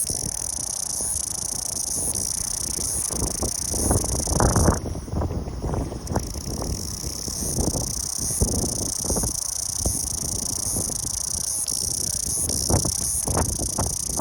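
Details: Cicada song: a steady, high, buzzy drone that continues through the whole recording with slight pulsing, over low rumbling background noise with scattered bumps and knocks.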